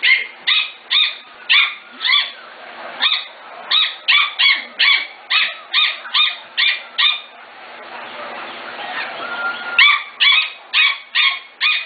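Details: Rapid, high-pitched yipping from five-to-six-week-old Corgi puppies of the Katie, Emma and Annie litters: a fast string of bright barks, a brief lull with soft background rustling, then another quick burst of yaps.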